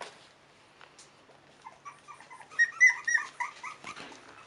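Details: Five-week-old Cairn Terrier puppies of the Stromerhof B litter (born 28 June 2015) start after a quiet moment into a short string of high squeaky whimpers, rising and falling, with faint rustling.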